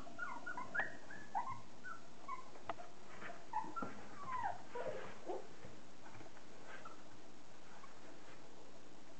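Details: Indoors, thirty-day-old Border Collie puppies make soft, high whimpers and short squeaky yips, irregular and overlapping, in the first five seconds, then fade into quiet rustling.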